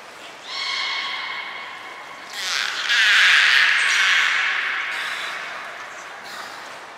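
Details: Belugas moved between pools and trained at Port of Nagoya Public Aquarium, February 2021; a bright, buzzy tone with stacked overtones lasts over a second, then a louder rough squeal swells and slowly fades amid watery noise.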